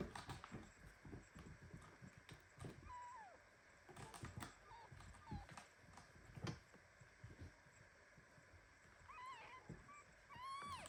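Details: Premature kitten squeezed tightly in a hug by mother cat Ginny at home, meowing indignantly: a thin high mew near three seconds, then a cluster of rising-falling squeaky mews near the end, amid rustling and soft clicks.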